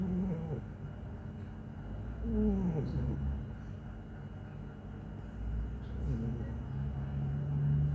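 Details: Bimo, a plump pet cat, snores in slow cycles, each breath a low rasping rumble with brief whistly rising-falling tones, spaced roughly every two to four seconds over a constant low background hum.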